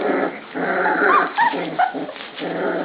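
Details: Puppies at dinnertime in a pen, taking their meal seriously: a rough, rumbling growl swells over about two seconds, broken by short squeaky whines and yips near the end.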